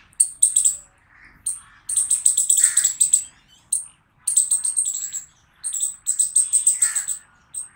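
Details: Rapid loud barking from a squirrel: high, sharp notes run together into fast stuttering bursts lasting a second or more, separated by short pauses, with faint lower murmurs between.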